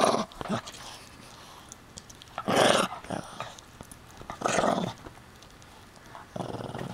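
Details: Hiro, a puppy, guards his chew thing in a small room with harsh, buzzy growls. A few loud bursts stand out, separated by quieter grumbling and pauses, while someone asks for the toy.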